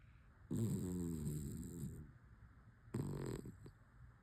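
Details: A sleeping rescue dog snoring in the morning: two long, low, rumbling breaths about two and a half seconds apart, each with a rough rattling tone, over quiet background hiss.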